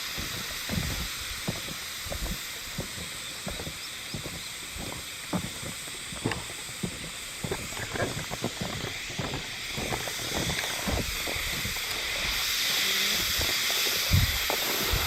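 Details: Hime-harusemi cicada song recorded 19 July 2022 in Yamaguchi Prefecture, Japan, without sighting the insects: an unbroken shrill buzzing chorus that swells louder toward the end, over frequent low tapping sounds.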